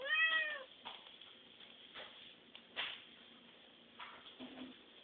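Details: Domestic cat begging for food indoors: one loud, arched, harmonic meow in the first half-second, followed by soft clicks, taps and faint rustling in a small room.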